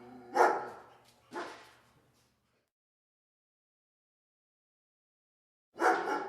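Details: Two rough, reverberant dog barks close together, a long silence, then one more harsh bark at the end; the sound seems echoey and somewhat muffled.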